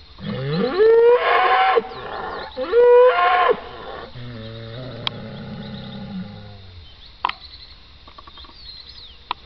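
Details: Bull bellowing in the pasture, two loud rising moos in quick succession followed by a lower, falling drawn-out moan, then quieter background with a few sharp clicks.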